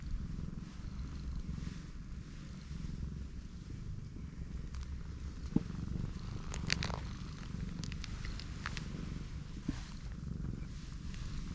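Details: Pregnant black cat lying belly-up with her big belly being rubbed; a soft, low continuous purr rumbles steadily throughout, with a few faint clicks and brief higher sounds scattered over a quiet outdoor background.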